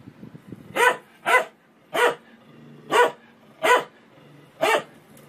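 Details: Pet dog giving six sharp, evenly loud barks spaced roughly a second apart against a quiet, slightly noisy room background.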